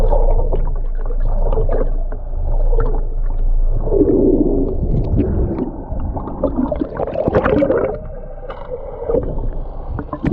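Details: Humpback whale mother and calf recorded underwater during whale watching off the Ogasawara Islands, Japan, on 11 February 2021; low, moaning tonal sounds swell and fade beneath steady gurgling water and bubbly splashing.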